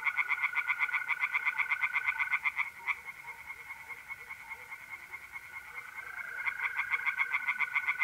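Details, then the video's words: Night chorus of tree frogs at a pond in north-east Italy in mid-April. Fast, regular pulsed notes come in two bursts separated by a quieter stretch, with an unbroken mole cricket trill running beneath. "relaxing singing tree frogs in pond"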